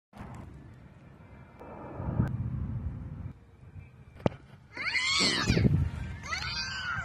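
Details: Opossum in the wild giving a harsh, wavering scream in two loud bursts near the end, rough and broadband with shaky rising and falling tones, after a few seconds of quiet rustling and a sharp knock.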